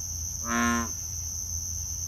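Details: An American bullfrog calls at a drainage pond in Southold, Long Island, New York, on a summer night: a single deep, resonant note, low and rich, over a steady high insect drone.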